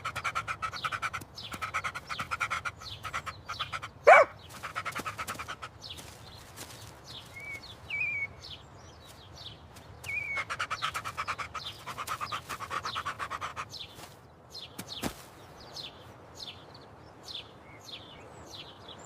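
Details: A male Golden Retriever puppy pants and scuffles during a playful chase, with a few faint bird chirps behind.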